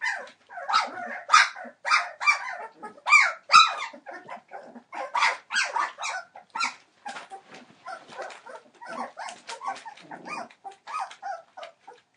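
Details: Entlebucher Mountain Dog litter, 21 days old, born 28 December 2013; steady overlapping yelps and squeaky cries from several puppies, louder and spaced in the first half, softer and busier later.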